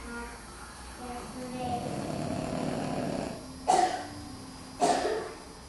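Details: A Boston Terrier, curled up in children's Halloween costumes, snores with a rough, rumbling breath, then gives two sharp snorts.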